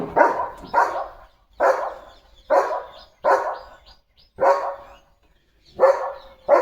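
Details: Leo the German Shepherd, pet dog, barks as his parcel arrives for unboxing: eight deep, forceful barks in under seven seconds, some in quick pairs, with short quiet gaps and a clean background.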